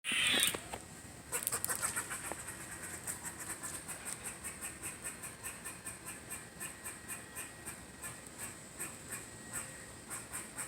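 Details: Squirrel named Squirrely, described as having fun, gives a loud raspy burst followed by a long steady series of short, sharp, high clicking chips at about three per second. The series gradually fades. A voice asks what's the matter.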